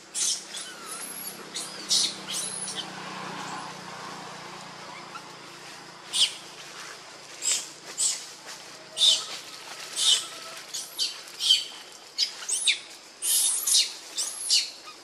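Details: Hungry baby monkey Lucie cries and begs for milk, foaming at the mouth. Sharp piercing squeaks repeat in an uneven series, growing denser in the second half, over low background murmur.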